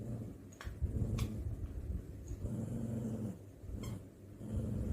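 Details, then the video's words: Dog making grumpy noises during play with a canine friend: a steady deep rumbling growl, wavering in strength, with a few faint sharp clicks or taps over it. "My dog (on the left) makes the cutest grumpy noises when playing with his friend."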